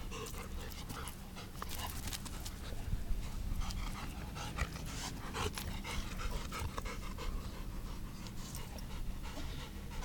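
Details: A dog named Hiyori, recorded on 25 September 2017 while working hard, pants in fast, rhythmic breathy bursts that run steadily throughout, with low rumbling background noise and faint clicks.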